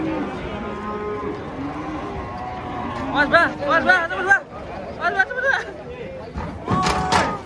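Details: Giant cattle raging while coming off a truck at a market, three animals; a long low moo opens, then loud human shouting and talking dominate, with a brief bellow near the end.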